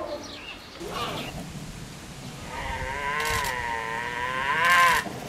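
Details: A snow leopard cub in June 2018, calling from inside its den for its mother on a hot day, gives drawn-out, wavering, loud high mewing calls, rich in harmonics and rising and falling in pitch.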